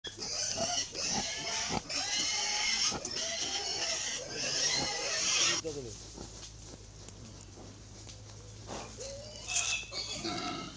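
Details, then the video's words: Baby pigs at feeding time giving shrill, high squeals in rapid overlapping bursts for about five seconds, then quieter scattered squeaks amid background noise. "Adorable Baby Pigs Feeding Time!"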